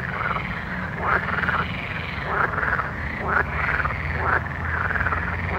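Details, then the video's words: Night frog chorus with repeated arched, nasal croaks, several overlapping callers sounding roughly once a second above a low droning hum. "Soothing Night Frog Sounds"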